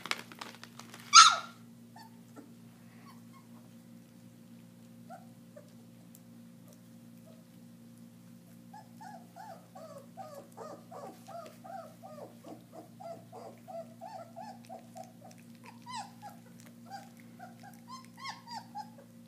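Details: German Shepherd puppies eating raw meat for the first time; after a sharp bang early on, a long run of soft, high squeaky whimpers and short whines fills the second half, rising and falling in quick succession.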